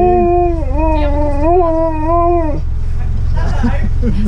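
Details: A Siberian Husky at a drive-thru gives a long, wavering howl that rises and falls, as if howling an order at the staff, over a low rumbling hum.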